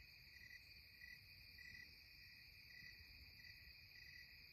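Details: Cicadas at twilight in the Catskills give a steady, high, ringing drone that runs on without a break.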